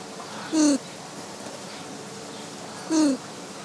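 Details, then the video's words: Ring-tailed lemur at Opole Zoo, recorded in stereo on a Sony Linear PCM Recorder M-10: two short, harmonic calls sliding downward in pitch, about two and a half seconds apart, over steady low background hiss. "LEMUR CATTA'S SOUNDS"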